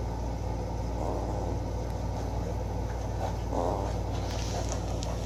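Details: Klawei, a small pet dog, snoring loudly: two breathy, hissing snore bursts about two and a half seconds apart over a steady low humming drone.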